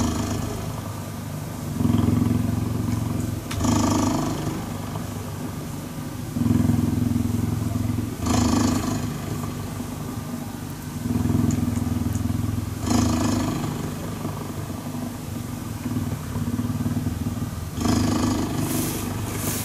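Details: Steady, low cheetah purr during cuddling, with a deep vibrating rumble that swells and fades in a regular breathing rhythm. Each inhale and exhale lasts about two seconds.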